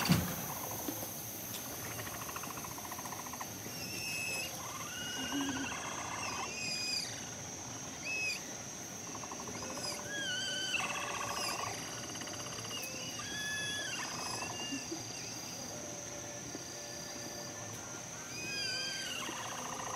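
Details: A herd of capybaras sings together as they set off to visit the male kept in a separate enclosure: overlapping whistled chirps and short rising and falling squeaks, with low clicking pulses, over a steady high hiss.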